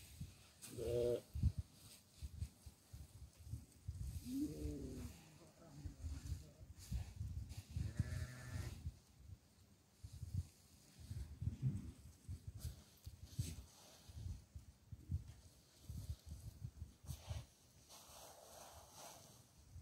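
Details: A goat at barley feeding time gives a few short bleats early on amid steady rustling, handling noise and a man's voice.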